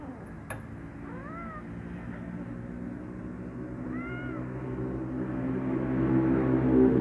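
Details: Hungry kitten, afraid to eat beside a black male cat and angry when stepped on, gives two separate rising-then-falling meows a few seconds apart over a low rumbling background that grows louder.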